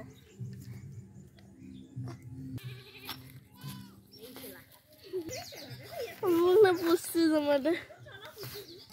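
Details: Baby goats with a human baby: a young goat kid gives wavering, quavering bleats in a short run near the end, over steady background music and voices.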